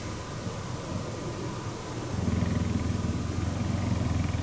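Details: A cuddling cheetah purrs, a soft low vibration at first that grows into a stronger, steady rhythmic rumble after about two seconds.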